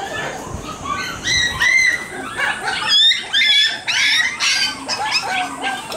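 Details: High, wavering whimpers from a Shiba Inu puppy playing outside before returning to its mother, one of the litter crying to go home; repeated drawn-out tonal cries rise and fall in quick succession.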